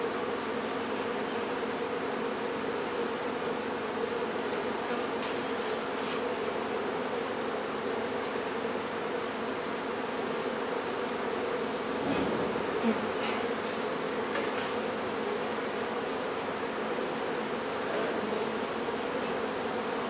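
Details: Steady drone of a honey bee hive during its relocation from a barn in La Feria, TX. The continuous buzzing holds even for twenty seconds, with a few faint knocks and rustles of handling midway.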